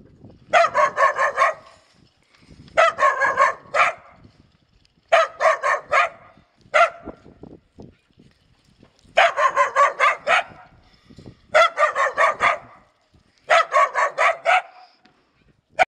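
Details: Mixed-breed village dogs kept by a family in rural Poland, barking in bursts of three to four rapid barks, each burst separated by roughly one to two seconds of quiet, six bursts in all.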